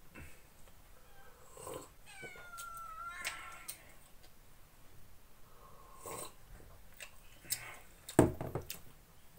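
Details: Sadak, a ginger house cat, at morning coffee breakfast, where he likes sandwiches. He gives a drawn-out, tonal meow that slides downward, then briefly repeats it, amid room clatter, dish knocks and people talking quietly nearby.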